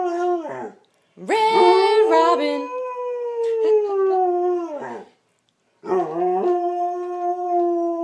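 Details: A Samoyed howls along as someone sings the Red Robin song, in three long, wavering phrases that each slide up then gently fall, with brief whimpery breaks and short pauses.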